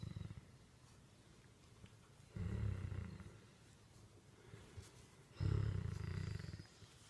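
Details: Becket, a Great Dane therapy dog being petted, purrs like a kitten. Two deep, throbbing rumbles, each about a second long, come roughly three seconds apart over a quiet indoor background.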